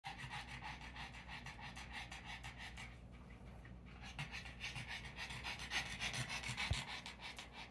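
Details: Boston Terrier pants in quick, steady breathy bursts, several a second, in the background beside a home fish tank.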